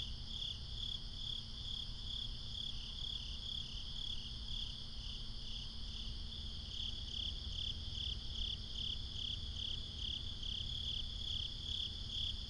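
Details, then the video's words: Several crickets calling together at night, recorded binaurally: a shrill, unbroken high trill with brighter pulses repeating roughly twice per second, some overlap and waxing and fading, over a steady low hum. "Cricket Conversations | Binaural Nighttime Ambience"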